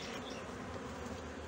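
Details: Steady droning hum of honey bees at a Brno colony in 2022, where an inserted queen cell was found chewed open. The buzz stays constant with no other clear sounds.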